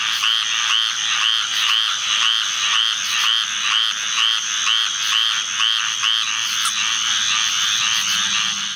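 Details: Squirrel treefrogs calling together in a large chorus set off by summer thunderstorms; raspy, nasal calls repeat about twice a second and overlap densely, over a steady high-pitched drone that runs throughout.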